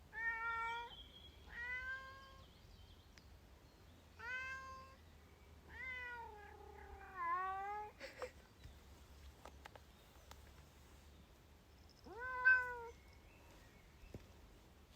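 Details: Protesting the wet outdoors on a hike near Bergen, a female Bengal cat meows about seven times, including a long, wavering, descending yowl, followed by rustling and clicks, then one final meow.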